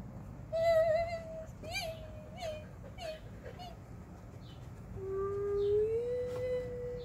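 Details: Playful pet Alaskan Husky named Whiskey giving rich, harmonic woo-woo sounds: several short warbling notes, then a long, loud tone that slowly rises and holds, with faint indoor rumble behind.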